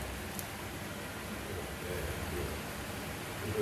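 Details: Steady, quiet broadband hiss like rain or rustling continues throughout, with a faint low murmur and no animal voice.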